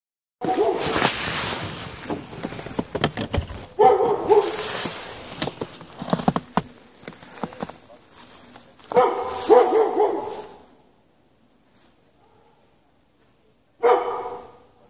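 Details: Dog chained outside in the snow at night without shelter, 3 March 2014, barking in loud bursts of several rough barks separated by pauses, with broadband hiss and rustling throughout.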